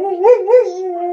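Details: Malamute husky cross dog howling in reply to wolves heard on a television programme; a brief tonal howl with two quick upward swells before holding a level note.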